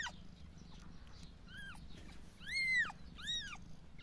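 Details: A litter of five three-day-old kittens, some suckling, give thin, high-pitched mews that rise and fall, several in quick succession.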